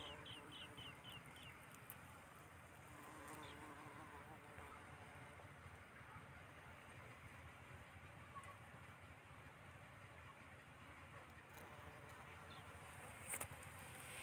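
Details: Bees busy gathering nectar among yellow mustard flowers in a cultivated field: soft, low, continuous buzzing hum, with a few brief bird chirps early on and scattered faint clicks.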